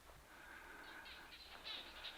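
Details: Barking geckos, described as ventriloquists that throw their voices, calling during a 2014 overland trip through remote Botswana and Namibia; a faint tonal hum gives way to scattered dry chirps that grow louder toward the end.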